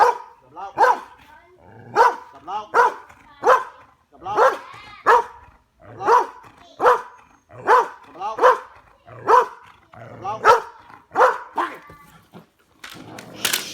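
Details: Belgian Malinois named Bullet doing bite work in a back yard: loud, harsh barks repeated about every second in a steady run, each bark with a rough, ringing tone, ending in a burst of noise.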